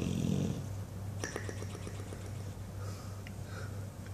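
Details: Dreaming English Bulldog called Buddy ends a low rumbling snore, then makes a run of quick soft clicks and flaps from loose lips over a steady low hum.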